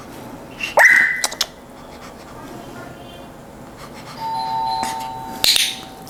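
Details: A Pomeranian that barks every time it hears the doorbell gives sharp, high-pitched yaps as the doorbell is pressed and chimes, with people talking nearby.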